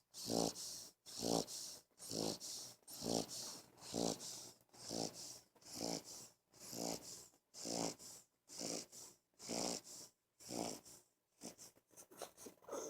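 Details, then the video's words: An 11-week-old English Bulldog puppy stretched out on a bed snores loudly, each rough, rattling breath repeating about once a second. "Funny English Bulldog Snoring Loud!!!!"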